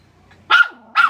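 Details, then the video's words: Shih Tzu dog, jealous of a rabbit, giving two sharp high barks about half a second apart, each a bright burst with a short tonal ring, against a quiet background. "Shih Tzu jealous to a rabbit"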